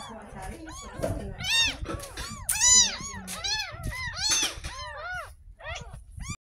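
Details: Bathed for the first time, a ten-day-old kitten rescued from a drain near a house gives a dense run of piercing, arching mews, several per second at the peak, with soft human voices in the background.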